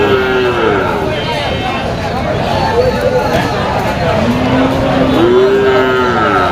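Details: Cattle at a bull and cattle market in Moukhra, recorded on 31 August 2025; a long low moo slides down then a rising, drawn-out moo near the end, over dense crowd chatter and vehicle noise.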